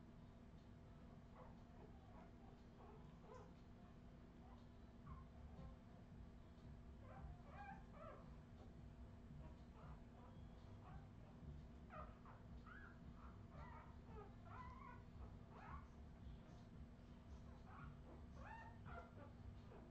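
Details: Redwing Australian Terrier puppies in 2018 whimpering and squeaking, brief high peeps clustering more densely in the second half, with a droning low background hum.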